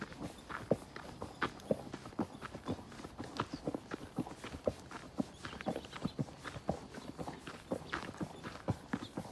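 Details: Horseback ride through nature: irregular clip-clop of hooves, some strikes crisp and bright, others muffled, spaced unevenly across a faint continuous rustle.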